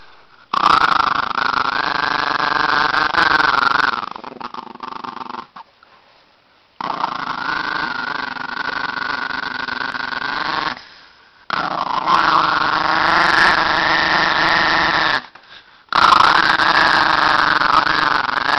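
An angry Chihuahua gives long, high, tense growls in several sustained bouts with short pauses between.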